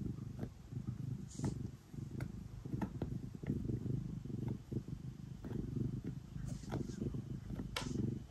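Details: Domestic cat purring steadily while kneading at bedtime, the rough low rumble repeating in breath-long phrases, with frequent clicks and faint fabric rustling throughout.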